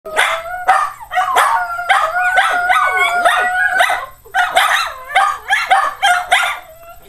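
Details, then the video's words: Pet dog howling indoors in a living room, calling the pack. Loud wavering howls bend up and down, broken into repeated bursts by sharp yips, with short pauses between phrases. "Calling The Pack"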